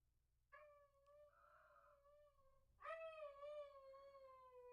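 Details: A dog howls, heard over a phone set on a counter and likened to a giant sperm whale underwater. Two drawn-out steady tones with rich overtones, the second opening with a sharp rising swoop, over a quiet background.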